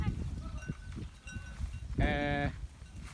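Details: A single loud, nasal, rich-toned goat bleat lasting about half a second breaks through near the end, after low rumbling and scattered knocks on a goat farm.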